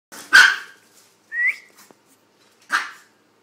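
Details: Two dogs at play, a two-year-old Chihuahua named Tony and an eight-week-old English Staffordshire pup named Dexter: three short sharp barks or yelps, the middle one a higher rising squeal, each separated by about a second of quiet.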